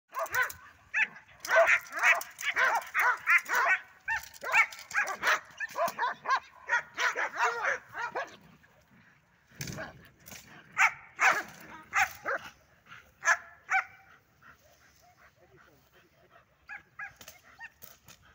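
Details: Belgian Malinois, named Horvat, barking during training on a rubber toy: rapid, sharp barks repeated about twice a second for eight seconds, then a pause and another burst of barks, with faint voices in the background.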